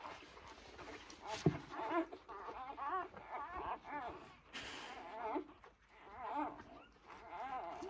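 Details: Two-day-old Labrador Retriever puppies giving a run of thin, wavering squeaks and whimpers that overlap and rise and fall in pitch throughout, over a low, steady background rumble.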